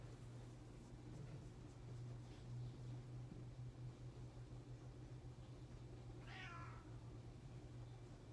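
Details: Kitten resting on a person's shoulders indoors gives a single soft meow near the end, rising then falling, over a steady low electrical hum, with a person's quiet voice nearby.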